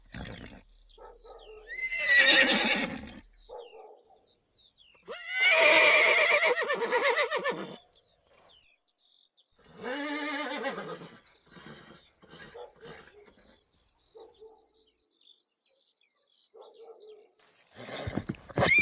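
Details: Neighing horses from a galloping herd give three separate high, shaking whinnies, each one to two and a half seconds long and several seconds apart, with near silence and soft snorts between them.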